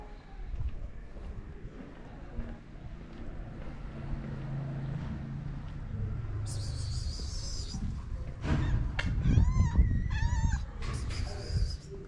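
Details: Stray mother cat with her kittens on a street in Morocco, waiting to be fed: a short run of high, wavering, harmonic meows near the end, over steady low rumble and a brief high squeal before them.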